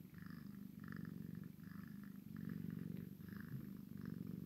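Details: Steady low purr of a Maine Coon x Sphynx cat, a kitten playing with its mother, pulsing in regular inhale and exhale cycles of about a second each.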